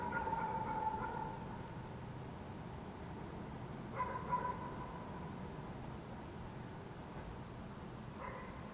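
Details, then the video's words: Dogs barking in the city of Helsinki, Finland, on a June night in 2014: three distant, harmonic barks spaced a few seconds apart, some slightly drawn out, over a steady low urban rumble. "dogs barking in the city"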